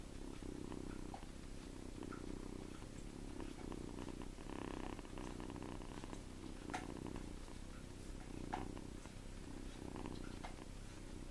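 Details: Tommie, a farm kitten of seven weeks, asleep in a person's hand and snoring: steady low purring rumbles repeating roughly every second, breath by breath, with occasional light rustles and taps in a quiet room.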